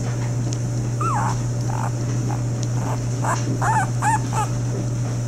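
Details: Five-day-old Lagotto Romagnolo puppies, a litter of three males and two females at Terra Incognita kennel; thin, high squeaking whimpers, one early and a quick run of three later, over a loud, steady low electrical hum.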